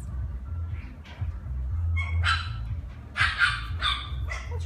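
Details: Imperial Shih Tzu puppy, a small dog with a plush coat that loves toys, giving a few short high yips and barks near the end among a woman's cooing talk and low background hum.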